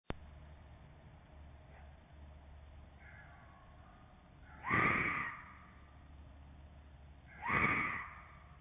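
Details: A trail camera in video mode captures a fox, with creepy screeching in the background: two harsh, raspy screeches a few seconds apart over a low background hum.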